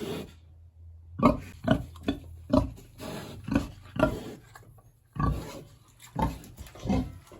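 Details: Large hungry pig in its village house on a warm autumn day, grunting in short, evenly spaced pulses about every half second after a quiet start, pausing briefly, then resuming with a few more grunts over faint background hiss.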